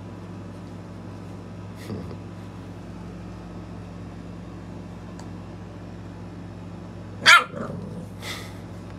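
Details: A lilac tri American Bully puppy giving its first ever bark: after a long quiet stretch with a steady background hum comes one sharp, high, yappy bark, then a fainter follow-up yelp.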